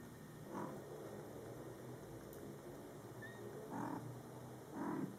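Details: Mother cat Coco, with her Scottish Fold kittens born July 22, 2012, in their first month, talks to them in three short, low, throaty murmurs spaced about a second apart, with a faint brief high squeak between them.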